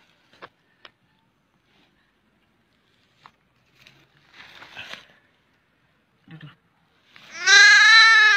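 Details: Goat kid found by hunters trapped in a crack in the ground, then rescued; after scattered clicks and rustling comes one loud, wavering, nasal bleat with rich harmonics, lasting just over a second.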